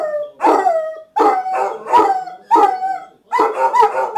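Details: Several Basset Hounds howling together in the morning at home: loud, harmonic baying notes, each swelling then falling, repeated roughly every 0.7 seconds in overlapping voices with short gaps between bursts.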